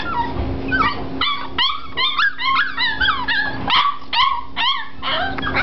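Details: Five-week-old Springer Spaniel puppies: a litter yipping and whimpering together, with many short, high, bending squeals overlapping in quick succession throughout, over a steady low hum and a person talking to them.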